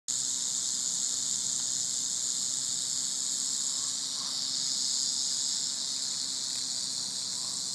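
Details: Wild timber rattlesnake, about 4 feet long and 2.5 inches thick, found on a dirt road in Weiser State Forest, rattling as it turns around to strike; a steady, dry, high hissing buzz runs unbroken through the whole recording.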